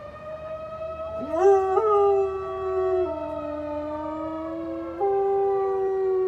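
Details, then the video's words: Pet dog Eli joins the Saturday noon tornado siren with a wavering howl that swoops up sharply, then slowly sags and lifts again, tangled with the steady wail of the siren. "dog howling tornado siren"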